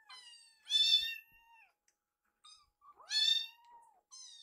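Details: Foster kittens rescued as babies, eating and curious about a sibling's food. Two loud, bright meows that rise then level off, each lasting about a second, with softer short mews between, indoors and otherwise quiet.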